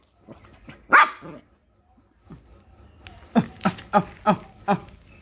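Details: Puppy barking at a crab: one loud bark, a pause, then a quick run of five sharp barks about a third of a second apart.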